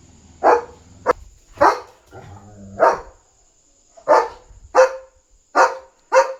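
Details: Excited German Shepherd barking nonstop at night to protect its territory and alert that a dog is outside; about nine harsh barks in quick, uneven succession, with a low hum and faint murmuring underneath.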